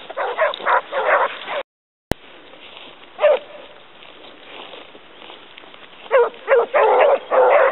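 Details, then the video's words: Basset Hounds of the Côtes de la Saunade pack hunting hare: bursts of harmonic, ringing bays in clusters at the start, a brief dropout, a lone bay near three seconds, then dense overlapping baying toward the end. "Basset Hound sur lièvre"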